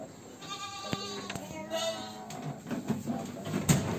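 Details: Large Peranakan Etawah goat in Wonogiri, Indonesia, lets out a nasal, harmonic bleat lasting about two seconds. Clicks, thuds and later background murmurs are also heard.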